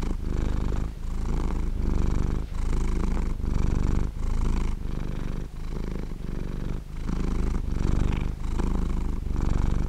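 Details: Purring of a dozing cat, heard very near: a coarse, buzzing low drone in regular breath-length bursts, some louder than others, with short quiet breaks between them.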